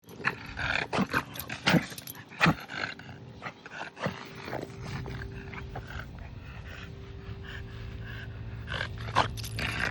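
A French Bulldog makes harsh, snorting bursts of air at uneven intervals during a reverse-sneezing episode.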